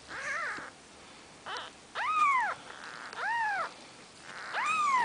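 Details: Four-day-old Maine Coon kittens from a litter of seven give thin, high mews that arch up and fall, roughly once a second.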